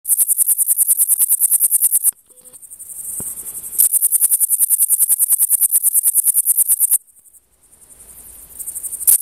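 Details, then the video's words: A male Frivaldszky's bush cricket (Pholidoptera frivaldskyi) sings in the sun on 5 July 2023 in Oleksandrivka, Kirovohrad Oblast, Ukraine: a high, hissing trill of fast pulses broken by brief pauses. "Singing in sun Pholidoptera frivaldskyi male bush cricket"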